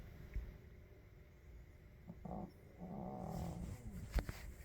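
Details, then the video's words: Puppy snoring in its sleep, giving two low, throaty, rattling breaths, the second longer and drawn out, with faint rustling and a small click near the end. "코골며 자는 강아지"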